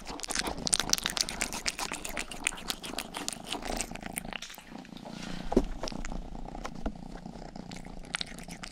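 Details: Domestic cat named Rang-i, the youngest cat of the household, purring indoors while grooming and licking close to a binaural microphone; steady low rumbling purr under dense wet licking clicks and rustles.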